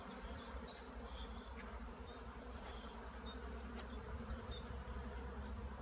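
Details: Honey bees flying near their hives on 15 April 2016, out in sunny weather after more than a week of rain. A steady low hum dominates, with short high chirps repeating above it.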